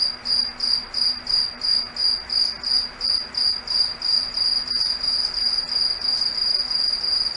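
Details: Crickets singing at night in a foggy forest: a bright, high-pitched chirping pulsing about three times a second, its loudness swelling and fading in a steady rhythm, with a faint low hum beneath.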